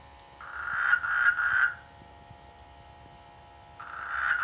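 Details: Rainy-season frogs in rice fields near a village give a pulsed, rattling croak of about three beats, fall quiet, then start another buzzy croak.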